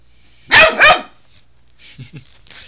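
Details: Ellis, a pet dog, attacking a toothbrush indoors; two sharp loud barks in quick succession, followed by faint rustling and small thuds in a quiet room.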